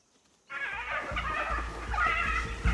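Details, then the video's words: Several hyenas give wavering, squealing distress calls over background music, heard near wild dog packs and their pups in South Luangwa, Zambia; it sounds like quite a few hyenas. "It's the hyenas again, but those are hyena distress calls."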